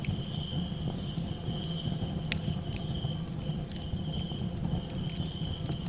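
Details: Night crickets keep up a constant thin, bright trill above a heavy low crackle of a campfire, with a few louder pops.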